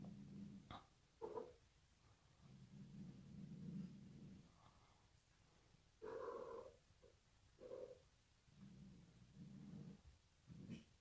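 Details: Bengal cat Sid, scared by a newly arrived bride, keeps up low throaty growls broken by a louder, higher wailing yowl midway, with short sharp sounds in between indoors.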